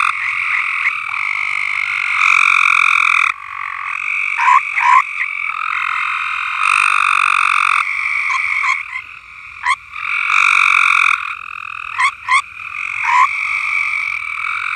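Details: Frogs in full chorus at a farm: layered trilling calls that swell and fade in long bursts, punctuated by several brief, sharp upswept notes from nearer callers.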